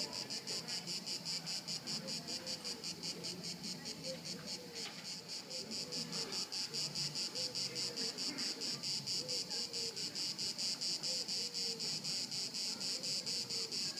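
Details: Crickets at Haut-de-Cagnes in 2013, a dense pulsing chorus of high chirps repeated about twice a second, with faint low voices and background murmur underneath.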